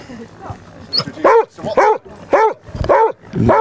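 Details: Basset Hound among 37 Basset Hounds on a four-mile group walk along Exmouth beach. It gives six loud, arched, baying barks in a steady run about half a second apart, with a faint murmur of voices before them.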